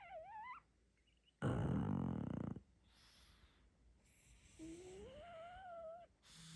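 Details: Sleeping pug puppy, a little female: a rough, buzzy snore lasting about a second, framed by thin, wavering whimpers that rise and fall at the start and near the end.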